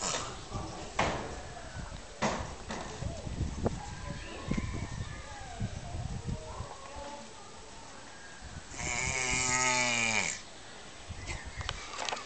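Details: Giant tortoises mating in captivity at Cotswold Safari park. Shuffling, knocking and nearby voices lead up to one long, low, strained groan, rich in harmonics and held for about a second and a half, followed by quieter rustling.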